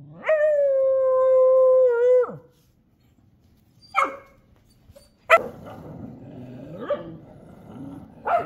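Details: Street dogs fighting in a street area: a long steady howl lasting about two seconds, then a pause and scattered sharp barks and yelps over rough background noise.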